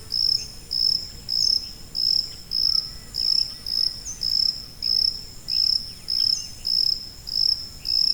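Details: High-pitched cricket chirps used as a tinnitus masking sound; short, shrill, buzzy pulses come at an even pace of roughly one every 0.6 seconds, with only faint hiss beneath.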